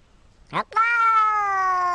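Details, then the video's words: A short chirp-like sound, then a cat's long steady meow held for over a second, rich in harmonics and slightly falling at the end. "very funny cat meows"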